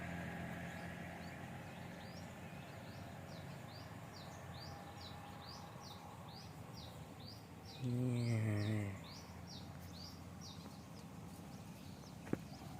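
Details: Limousin crossbred cattle, Sapi Lumo, in Aceh, Indonesia, outdoors in the countryside: one low, resonant moo of about a second rises from the background midway. Steady high, rhythmic insect-like chirping pulses run throughout.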